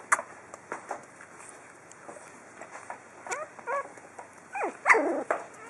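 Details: Four-week-old pug puppies testing their first steps outdoors give thin, high whimpering squeaks, short bent notes scattered through, clustering into a louder run of whines near the end over faint background rustling.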